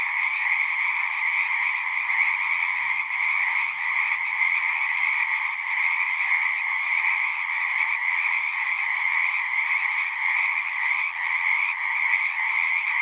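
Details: Massed frogs singing together in natural surroundings, an even, relentless shrill trilling of many callers blending into one wall of sound, steady in loudness throughout.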